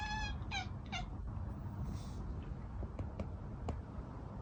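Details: Mii-san, a pet cat known for talking, lets out three quick meows in the first second, the first longer and falling, the next two short, followed by quiet indoor noise with a few faint clicks.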